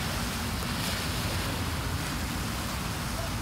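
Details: Steady roar of waves and wind at a beach, with no animal sound.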